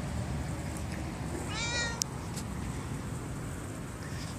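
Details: Friendly library stray cat, called over by name, answers with a brief, bright meow under half a second long, followed by a single sharp click, against constant low background hum outdoors.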